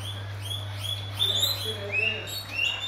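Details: Guinea pigs being fed guava give a string of high, rising whistled squeaks, each short note climbing in pitch, repeated several times a second over a steady low electrical hum.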